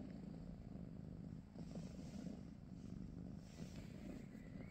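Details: British Shorthair cat purring during a morning at home: a steady, low rumbling drone runs continuously, with faint rustling above it.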